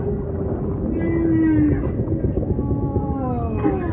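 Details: Humpback whale song with ocean ambience: long tonal moans with stacked overtones, one steady held note, then slow downward-gliding cries, all over a constant low rumble of surrounding water.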